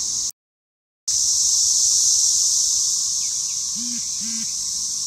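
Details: Cicada chorus during a spring 2015 mass emergence, filmed in a home yard: a loud, steady, high-pitched droning hiss that never lets up, broken by a brief dropout near the start, with faint low sounds in the background.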